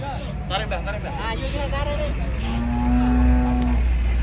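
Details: Fierce giant cattle leaving a truck; after brief human voices comes one long, steady, level moo lasting over a second, with a deep rumble underneath.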